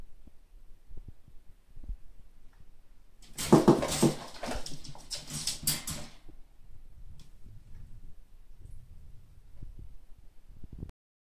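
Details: Two Bengal cats squabbling over the top spot on a scratching post let out a harsh, hissing burst lasting about three seconds; the fight looks brutal but is friendly.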